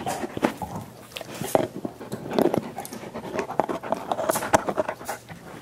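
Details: Five dogs working on soup bones as part of a dental hygiene program; wet smacking and slurping with bursts of noisy breathing and quick clicking bites, close and indoors.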